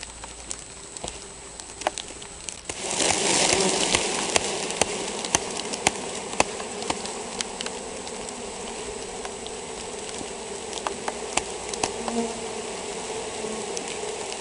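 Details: Honey bee colony affected by European foulbrood: a steady droning hum with layered low tones. A sudden loud hissy rush enters near three seconds and then eases, and sharp clicks and taps are scattered throughout.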